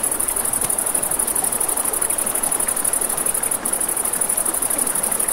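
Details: A continuous, quickly pulsing shrill chirp from crickets at night near a river, set against the broad noise of flowing water and a few soft crackles from a campfire.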